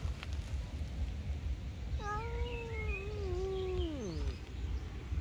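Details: Angry cat in a tree voicing one long, steady moaning yowl lasting over two seconds that ends in a sliding downward drop; faint bird twitters and low rumbling background noise.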